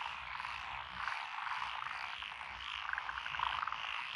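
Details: Many frogs calling together in lotus paddies near Echizen, Fukui, Japan, June 2021. The species are Japanese tree frog, black-spotted pond frog, wrinkled frog, Schlegel's green tree frog and forest green tree frog. A steady croaking wall with short rapid clicking trills near the end.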